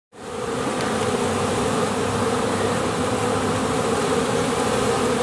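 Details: Honey bees swarming, possibly a new swarm leaving or bees flying while the young queen is out mating; a dense, continuous droning hum with a steady low buzz band, unbroken throughout.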